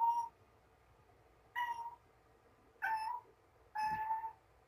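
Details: Indoor mother cat, recently given birth to three kittens, carrying a small yellow toy ball around a room and talking to it: four short meows, each with a bright steady tone, spaced one to one and a half seconds apart in a quiet room.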